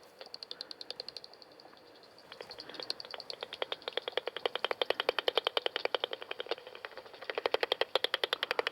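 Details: On a night walk up Balgay hill, a common pipistrelle hunts by echolocation, its calls turned by a bat detector into quick, dry, smacking clicks ending at about 45 kHz. The pulses grow denser and louder toward the end, a feeding buzz.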